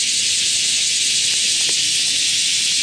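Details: Japanese cicadas, known as semi, buzzing loudly in the morning while being caught outdoors: a dense, steady, hissing drone high in pitch that holds unbroken throughout, with no other clear sounds.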